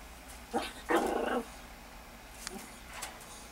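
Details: Foxy the Miniature Pinscher meets Bella the rabbit, giving a short yelp followed by a rough half-second growl, then a couple of faint clicks and taps in a quiet room.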